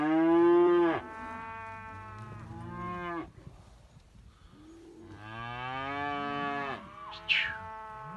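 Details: Simmental calf offered for sale, lowing in rich harmonic moos: a loud one-second bellow, a shorter quieter moo, then a drawn-out call of nearly two seconds, ending with a brief higher squeak.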